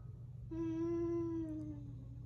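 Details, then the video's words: Siberian Husky named Halo indoors, protesting to its owner about being on the bed; one sustained, steady whine-like tone of about a second, slightly falling at the end, fairly quiet against a low room hum. "Mouthy Husky argues with mom about being on the bed!"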